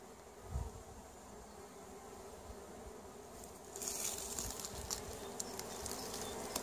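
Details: Honey bee colonies at the end of winter 2017, a beekeeper assessing winter losses; continuous low droning buzz of many bees, with sharp clicks and crackles joining in the second half.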